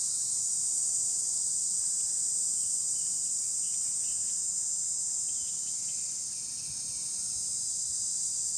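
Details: Cicadas singing on trees: an intense steady hiss-like buzz that dips slightly in volume near the end, with only faint scattered chirps below.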